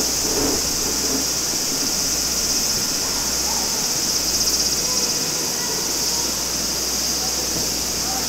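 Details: Cicadas singing in summer at Maruike spring water pond on Mt. Kirishima, Japan, beside a clear stream: a steady, unbroken high shrill drone fills the whole stretch, with soft running water and faint low rumbles beneath.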